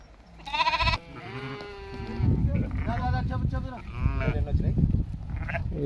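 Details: Sheep in a flock of 64 adults and 20 lambs being sold to bidders: one loud, quavering bleat, then men talking in Telugu with further tremulous bleats mixed into the chatter.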